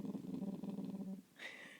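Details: Female mini boxer puppy growling on command indoors as a learned trick: a low, rumbling, pulsed growl lasting about a second, then the owner's voice praising and prompting her.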